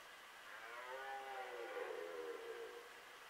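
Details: Red deer stag roaring during the 2018 rut, still calling late in the season: a faint, drawn-out harmonic bellow that rises and then slowly falls over about three seconds, heard at a distance over steady background hiss.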